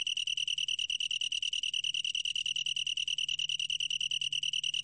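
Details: High, tonal, rapidly pulsing trill from a long-tailed tree cricket, beats evenly spaced at roughly ten per second, sustained throughout over a faint low hum.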